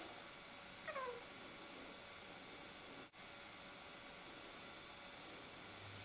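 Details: Rudy, a Siamese cat, making a fuss over a rook in a tree across the road: one short falling meow near the start, then steady low background hum and quiet for the rest.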